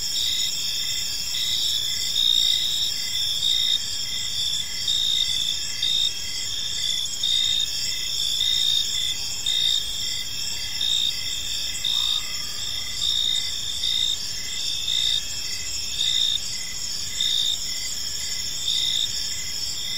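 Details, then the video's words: Crickets sing through an evening in a peaceful park, a thick high-pitched wall of trills with rhythmic pulsing chirps, a brief faint lower note midway, and gentle low background hum throughout. "Park Serenade: Cricket Sounds in a Peaceful Park"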